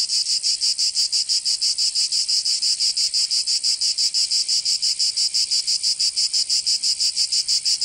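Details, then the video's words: Cicadas in Provence, southern France, during summer: sharply pulsed high buzzing in a very even rhythm of about three beats per second, loud and unbroken throughout. "Canto Cigarra 🦗 [ Escuchar les cigarras en verano 10 H]"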